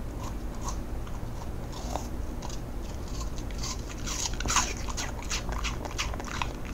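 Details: Ochunsam, a six-year-old male Cocker Spaniel, eats apple, his favourite after carrot, alone in a room; crisp crunching bites and wet chewing come in quick irregular bursts over a quiet indoor background.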